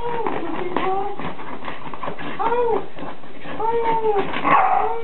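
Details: Whippet from a compilation of funny dog videos, giving a series of drawn-out whimpering cries that rise and fall in pitch, several separate whines over five seconds against a steady low background hum.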